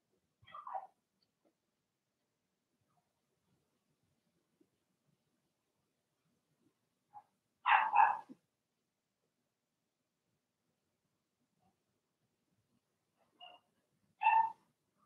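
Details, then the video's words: Blenheim Cavalier King Charles Spaniel puppies in an indoor puppy pen giving a few short yappy barks, one bark, then a quick cluster of two or three, then another pair after long silent gaps. "Cavalier Puppies Bark, Howl, and POOP"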